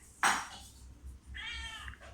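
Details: Pet cat coming back to its new home: a sharp clatter, then a drawn-out, steady meow lasting under a second, over faint low household hum.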